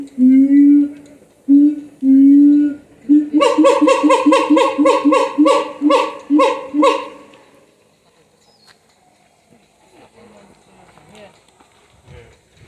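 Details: Siamang at Higashiyama Zoo: two long, loud, booming hoots, then a fast run of repeated barking notes that quickens and stops after about four seconds, followed by faint crowd chatter.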